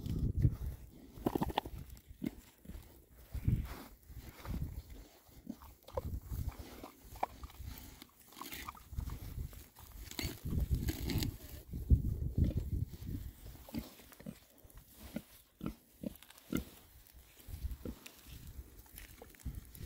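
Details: Six happy male Oxford Sandy and Black pigs foraging in winter between storms, with a long stretch of steady, low, chesty grunts and snuffles, irregular but continuous, mixed with chewing and rooting noises.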